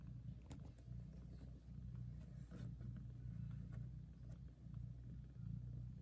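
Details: Very loud purring from a mother cat tending and nursing her kittens, a lullaby for the tiny litter; a deep, even rumble swells and fades in cycles, with light clicks and rustles.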